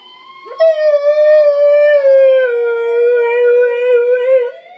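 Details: Pet Siberian husky imitating a police siren with a long, loud, harmonically rich howl that starts abruptly, sinks gradually in pitch, and wavers slightly before fading near the end.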